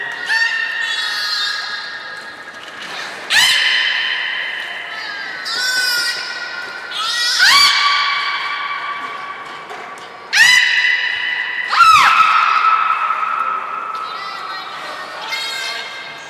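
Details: Belugas Hodoi, Gray and Mirai, kept at Port of Nagoya Public Aquarium, call during training on 1 December 2019: a long series of loud harmonic squeals and whinny-like rising whistles, several sharp clicks or thuds between them.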